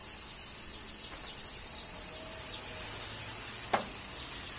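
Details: Summer rain in Kyoto, Japan, with cicadas droning a constant high, sizzling buzz; one crisp drip-like click stands out near the end against the unbroken chorus.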